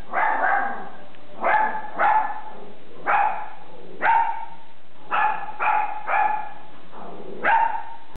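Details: Sunny, a pet dog, barking as strangers suddenly appear at the door; about nine sharp, harmonic barks over eight seconds, some single and some in quick pairs, separated by brief quiet gaps.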